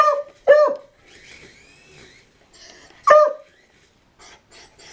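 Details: A dog inside a small room barks at a helicopter: a quick pair of loud barks, then a steady whirring hum, then another single bark, with soft background noises.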